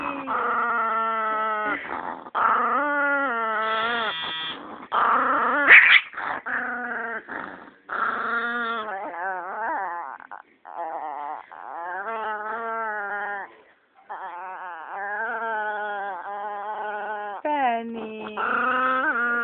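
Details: Penny, a Chihuahua described as evil, keeps up a long run of wavering, moaning growl-whines in short bursts separated by brief pauses, with sharper yelping peaks mixed in along the way.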